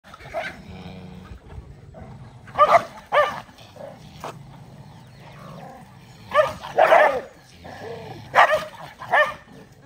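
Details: Several dogs eating rice together, with sharp barks in short bursts near three, seven and nine seconds, some doubled, over a low steady background rumble.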